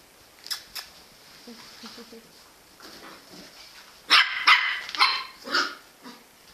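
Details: Jack Russell Terrier letting out a rapid cluster of loud, harsh barks in the second half, after faint yips and quiet human voices at the start.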